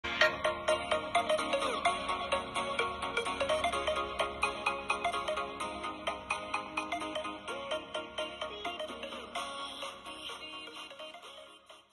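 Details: A bright, jingling ringtone-like melody plays steadily at about two notes per second, with no animal voice heard.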